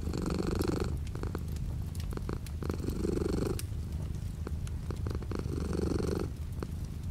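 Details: Domestic cat purr with light rain beyond the window; a low vibrating rumble pulses in rhythmic breathing swells every two to three seconds, accompanied by soft rain patter and small tapping drops.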